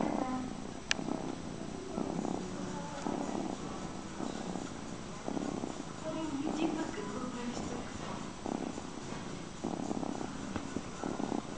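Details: Fred the cat purring steadily, a low rumbling pulse broken into rhythmic bursts roughly every second as he breathes in and out, with a faint steady hum in the background.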